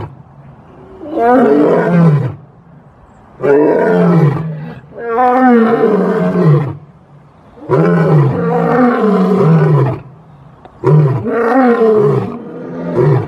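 A lion roars in long, deep, rasping bursts, each lasting about a second or two.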